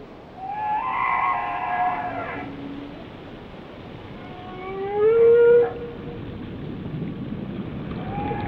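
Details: Whale singing: a long wavering harmonic moan, then a brighter upward-sliding whistle peaking near five seconds, with a faint tonal note at the close over background ocean hiss.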